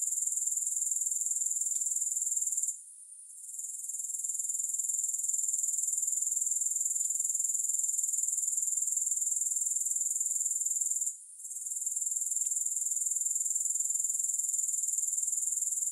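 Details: Grasshopper sounds: a sustained high, pulsing insect trill with a short lull near the start and another near the end, plus a few faint clicks; no music present.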